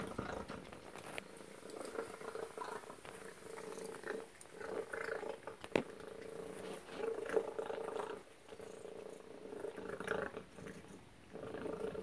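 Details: Tacy, a domestic cat, at suppertime over a meal of Tiki Cat Gourmet Carnivore chicken and duck; a steady low humming purr swells and fades in breath-length bursts, with soft chewing clicks and small sharp knocks in a quiet indoor room.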